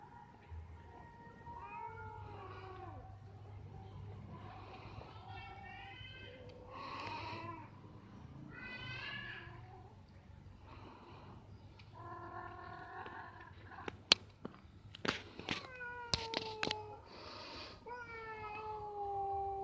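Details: Two cats in a tree during mating, giving wavering, harmonic meowing calls that rise and fall throughout, some drawn out into long yowls, with a few sharp clicks and knocks toward the end over a steady low hum.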